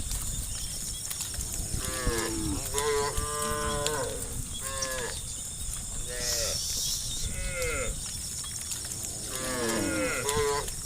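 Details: Dozens of tame cows jumping down a grassy hillside toward their pen in the afternoon, lowing repeatedly: overlapping harmonic moos from several animals, rising and falling, with a steady high hiss throughout.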